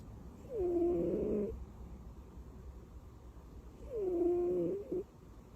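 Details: A sleeping domestic cat, tucked in like a baby, snores in two drawn-out, nasal, faintly whistling breaths about three seconds apart, in an otherwise quiet room.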